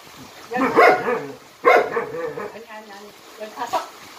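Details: A Jindo dog named Jinmyeong, from a Jindo performance troupe, lets out two strong, drawn-out barks with wavering yelping tails, followed by softer, fainter yips toward the end.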